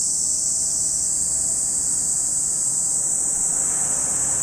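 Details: Unceasing high cicada sizzle at Lake Kamo, Sado City, Niigata Prefecture, Japan, joined in the final second by a rising broadband whoosh like a passing vehicle.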